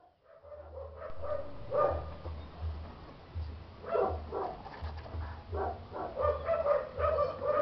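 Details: Chow chow dogs barking repeatedly in short, sharp bursts about twice a second, with a steady low hum running underneath throughout.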